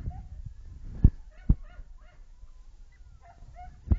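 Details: Two-month-old Springer Spaniel puppies relaxing with a piece of game give soft, high whimpers and squeaky yips between a few dull thumps.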